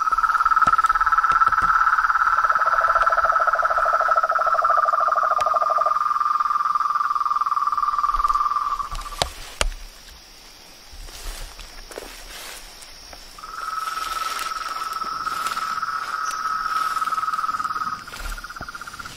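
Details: Frogs, toads and tree frogs in their natural setting. A sustained trill slowly sinks in pitch beside a lower pulsed rattle, falls silent for a few seconds, then a single steady trill resumes.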